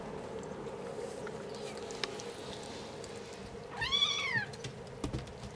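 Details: A single brief arched meow from a five-week-old kitten, over a quiet background with a steady low hum and faint taps.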